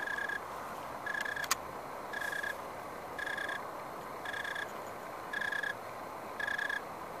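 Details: Insect chirping from a grapevine in a San Francisco Bay Area backyard just after sundown on a dry late-October evening, 2015: evenly spaced buzzy chirp bursts about once a second, with a single sharp click early on.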